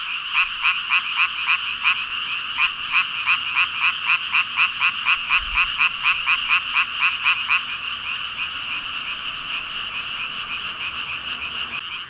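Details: Huge gathering of frogs croaking in chorus; a loud nearby caller pulses rhythmically about four times a second over the steady background din, then drops out after seven seconds leaving the massed hum.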